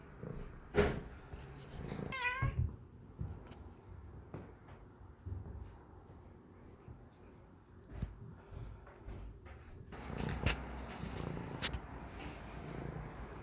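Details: Pet cats indoors: a short rising-falling meow near two seconds, sharp sneeze-like bursts, and a low steady purr rumbling underneath through a small room.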